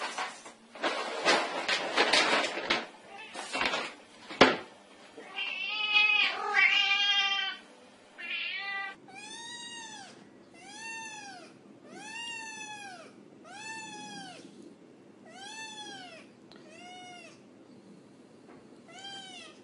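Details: Kitten meowing: tapping and rustling sounds first, then a drawn-out wavering mew, followed by a steady run of short, high, arched meows about every second.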